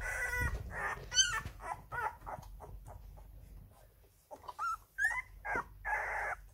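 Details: Eleven-day-old Rhodesian Ridgeback puppies taking first wobbly steps. Scattered high squeaks and short whines come at irregular moments, with a quiet stretch midway, then a few sharper rising squeals and rustling bursts.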